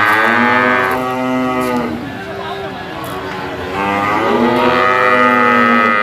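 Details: Jumbo sacrificial cattle over 500 kg, penned for weighing, give two long harmonic moos, one at the start and another near the end, with a quieter noisy stretch between them.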